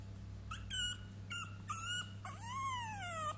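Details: Three-week-old French Bulldog puppies whimpering: short high thin squeaks in quick bursts, then a longer whine that rises and slowly falls, over a steady low hum.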